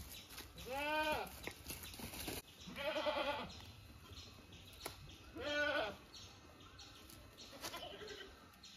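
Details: Household goats giving three or four trembling bleats, each about half a second to a second long, spaced irregularly over several seconds, with constant high background hiss and soft knocking sounds.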